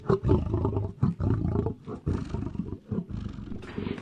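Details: Lion growling and roaring in the African savannah: dense, low, gravelly pulses in quick succession with uneven loudness and no clear pauses.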